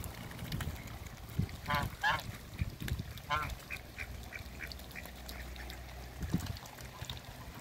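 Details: Mallards, a new couple kept in a backyard among other waterbirds, give three rasping, harmonic quacks in quick succession early on, then fall quiet; soft outdoor background noise and occasional low thumps run throughout.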